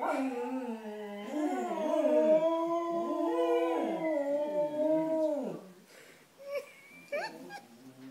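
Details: Cocker Spaniels howl together, singing along to an ambulance siren, their wavering voices rising and falling in long drawn-out tones.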